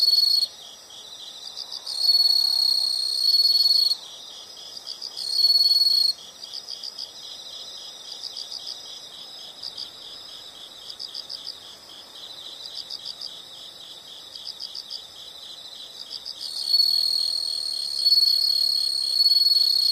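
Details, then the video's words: Insects in a relaxing nature soundscape: dense high chirping, about four pulses a second, with a louder steady buzzing trill that switches on and off in bursts of a second or two over the constant chorus. "the sound of insects"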